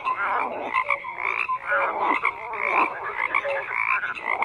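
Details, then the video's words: A dense frog chorus of many overlapping croaking calls, with short clicky pulses, brief tonal notes at several pitches and rapid rattling bursts that rise and fall in loudness without pause. "FROGS CROAKING"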